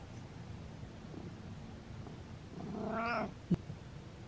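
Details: Domestic cat giving one drawn-out, nasal meow lasting about half a second, rich in harmonics and slightly wavering, heard in a quiet indoor room and followed by a sharp click.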